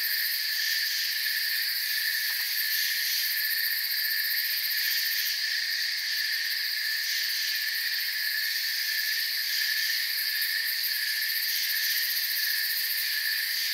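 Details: Crickets in a forest chirp together in a steady, high, buzzing wall of sound. Layered trills run unbroken and the level stays even, with one faint brief click near the start.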